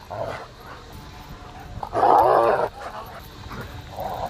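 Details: Wheaten Terrier dog at home: one loud, tonal, moaning vocal burst lasting under a second, with softer grumbling sounds before and after and faint background hum.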